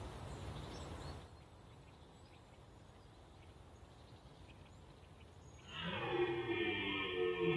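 Wind rushes briefly, then after several quiet seconds a red deer stag lets out a loud, drawn-out bellow rich in overtones. This bugling is its mating call during the rut.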